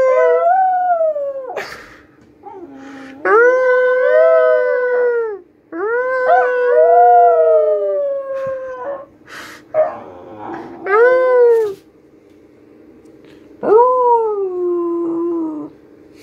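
A Hungarian Vizsla puppy whines in long, tonal cries that rise and then slowly fall.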